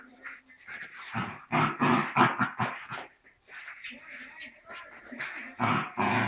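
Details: A Dachshund and a Cairn Terrier growl and grumble in rough bursts during their daily play-wrestling ritual, with yappy whines mixed in.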